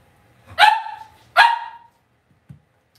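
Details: Cavalier King Charles Spaniel puppies raised indoors in a home puppy pen. Two sharp, high, ringing yips about a second apart, each sliding slightly downward, then a soft thump and quiet room.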